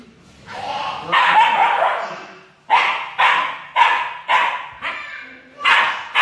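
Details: Jealous Siberian Husky girl vocalizes in a drawn-out opening cry, followed by a rapid run of short, harsh, bark-like yips, about two per second, each fading quickly.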